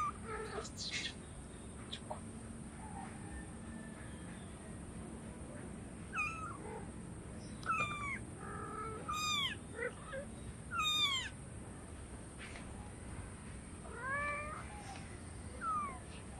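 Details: Hungry cats and kittens meowing for food, a run of high, thin mews with falling, arched shapes, loosely repeated roughly every second or two over a steady background hiss.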